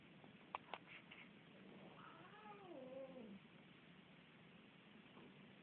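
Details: Domestic cat Luksus, fighting with another cat named Missy indoors, gives a drawn-out wavering meow lasting over a second, pitch rising then bending down, preceded by a couple of sharp clicks against steady background hiss.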